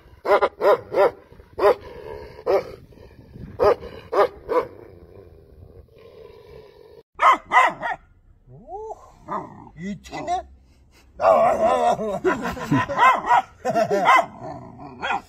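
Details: Tibetan Mastiff barking in short loud bursts, singly and in quick pairs and triples for the first few seconds, then a quieter pause followed by arching, wavering yelp-like calls and a dense run of overlapping barks near the end.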